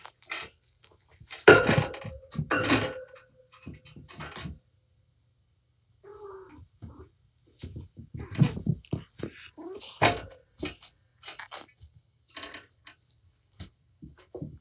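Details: Playing with her kittens indoors, mother cat Patience lets out a sustained, level meow amid loud rustles early on, then a short mew after a pause, with thuds and scrambling throughout.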